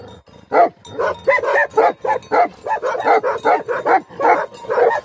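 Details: Angry Tibetan Mastiff, known in Nepal as Bhote Kukur, barking in a steady rapid series, about three loud harsh barks per second, each a short burst with strong mid-range tones, kept up without pause for five seconds.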